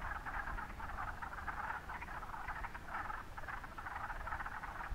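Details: Wood frogs singing together at Mont Saint-Bruno, a steady mass of short duck-like clucks pulsing in loose waves, over low rumbling background noise.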